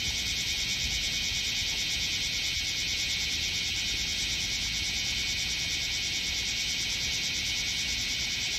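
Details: Bear cicadas massed on a potted tree set on artificial turf in Minokamo, Gifu Prefecture, Japan, in July; continuous shrill buzzing chorus, unbroken and even throughout.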